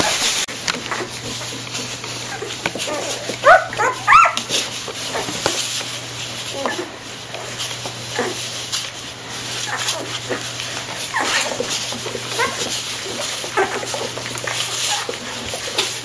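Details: One-week-old golden retriever puppies in a kennel give a couple of thin, rising squeaky whimpers over soft background rustling.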